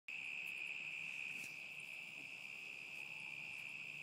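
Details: Crickets recorded in summer 2010, a steady unbroken high-pitched trill holding one even tone for the whole four seconds, with faint higher overtones and no other clear sounds.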